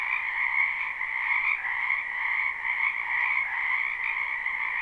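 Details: Croaking frogs in a wetland during spring, live recording: an unbroken wall of overlapping trilled calls, steady and dense, with slight swells in loudness and no other noises.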